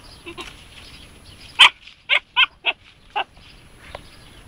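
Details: Siberian Husky puppy Jasmine, aged 3.5 months, encounters a hedgehog for the first time. A burst of five or six bright, yelping barks comes in fast succession, about two to three per second, then fades to a faint final yip.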